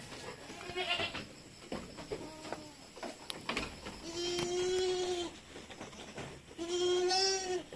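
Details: Goats at Terra Grande Farms in Negros Occidental, Philippines, bleating while kids are being weaned: four nasal, quavering bleats spaced a second or two apart, the later ones longer and louder, over soft farmyard noise.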